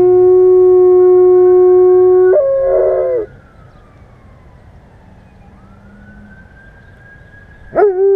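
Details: A pet German Shepherd howls at sirens: a steady, sustained tone with rich overtones holds for about two seconds, then breaks into a rougher wavering cry. A faint rising and falling siren-like tone follows before a brief final yelp.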